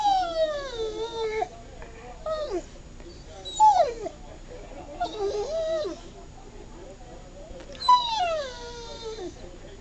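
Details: Blenda, a 17-month-old American Bulldog, yawns on command during training. Each drawn-out whining yawn slides downward in pitch. Four come over ten seconds, separated by quiet gaps.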